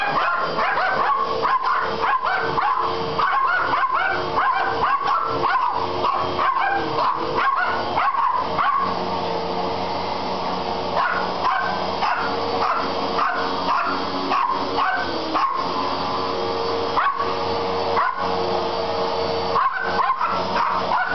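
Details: Poodles upset by a running vacuum cleaner, recorded on a Kodak C330 compact camera: rapid, overlapping sharp barks and high yips come in dense bursts several times a second over the cleaner's steady droning hum.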